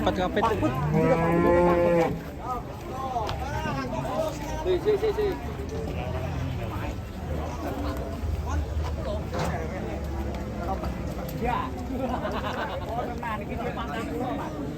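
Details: A raging cow bursts into a passenger car. A strong bellowing moo of about two seconds, followed by a long stretch of crowd bustle, bangs and fainter lowing.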